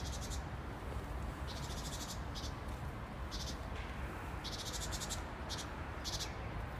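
A grasshopper gives dry, high, buzzy bursts of chirping, each lasting under a second.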